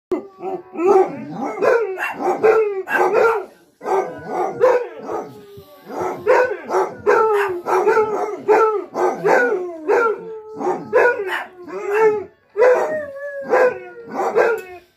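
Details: Basset Hound giving loud, baying barks that slide down in pitch, delivered in uneven bursts of several at a time, about a dozen or more across fifteen seconds, with short pauses between groups.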